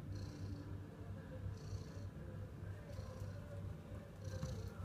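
A ginger tabby cat purrs in a low, steady rumble that pulses with each breath.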